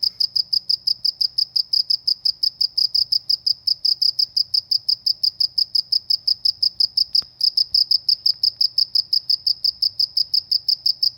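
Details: Cricket calling in the countryside: high, shrill chirps pulsing steadily about three times a second without pause, with one brief click partway through and a quiet low hum beneath.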